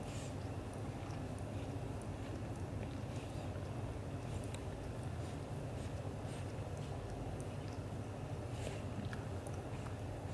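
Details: Low, even purring from Leo, a black golden British Shorthair dad cat, being affectionate with mate Mimi; the rumble holds steady for ten seconds beneath scattered light ticking and rustling.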